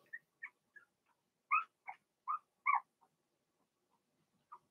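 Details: Blenheim Cavalier King Charles Spaniel puppies, Remy's first litter of six, in a home puppy pen during potty training; a run of short, rising whiny cries repeated roughly every half second, louder in the middle, then softer scattered whimpers.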